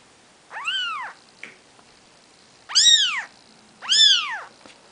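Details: Nikita's Maine Coon kittens, four days old, let out three piercing, bow-shaped mews, the last two close together, against a quiet background with a faint tap.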